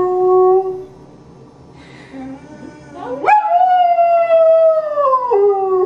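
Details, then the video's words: Foster greyhound rooing, or singing: a steady harmonic howl fades out, a short quiet pause follows, then a new howl sweeps sharply upward and holds a long, slightly wavering tone that slides gradually lower before dropping near the end. "Greyhound Rooing (singing)"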